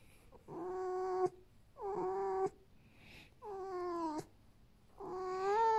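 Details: Vasilisa, a female pet fox rescued from a fur farm and kept indoors at home, whose father was a silver fox, whines while her belly is rubbed: four drawn-out, tonal, steady whines, each about a second long, with short pauses between.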